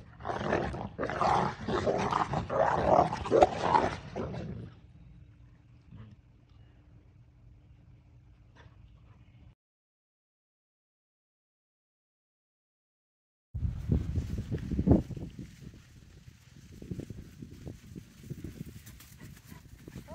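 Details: Six-month-old Central Asian Shepherd puppies from one litter on their birthday: a run of rough, loud barking bursts over the first four seconds, then a low steady hum, a silent gap, and noisy rustling to the end.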